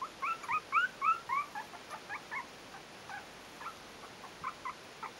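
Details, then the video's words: Yorkshire terrier pups aged four weeks, Stellar Garden kennel litter A: a quick series of bright rising-falling squeals at the start, then shorter, softer yips thinning out. "Szczeniaczki Bijou w wieku 4 tyg."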